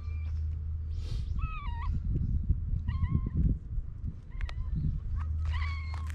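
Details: Stray cats gathered in the evening give several short, soft meows, some bending upward, amid rustling, shuffling noises and a low background hum.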